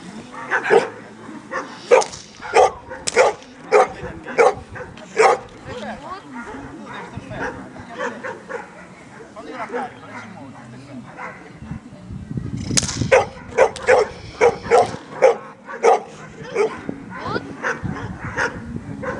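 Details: Amba, a Labrador Retriever, in defence training at Freedog, barking hard in two long bursts of rapid, punchy barks separated by a brief pause, with people talking in the background.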